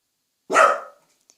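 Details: Welsh Corgi indoors, being trained by its owner to bark more quietly; barks boldly when family is close by. A single loud, sharp bark lasting about half a second, then silence.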